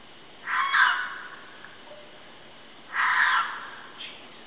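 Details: A mountain lion, believed female, caterwauls at night at a scrape site behind a house, 150 to 250 feet away in heavy brush. Two hoarse, raspy screeches come about two and a half seconds apart over a steady background hiss.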